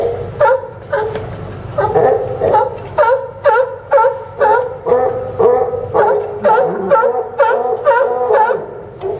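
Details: Sea lions calling from the Newport docks in Oregon on September 20, 2015; a steady run of short, gruff honking barks, about two a second, repeats with fairly even rhythm above fainter barking from other animals.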